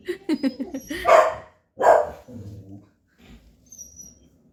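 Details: One of two Siberian Huskies gives quick, whiny yips, then two loud barks, asking to be let outside.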